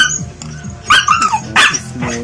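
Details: A Siberian Husky is noisy at feeding time while given rice and egg: two loud, harsh barks in quick succession, the first breaking into a short yelping whine, with soft background music throughout.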